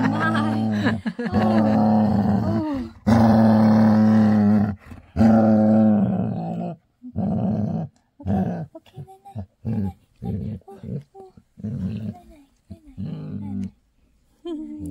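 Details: At bedtime, a female Labrador Retriever gives long, moaning, throaty happy growls while a person murmurs soothing good-night words.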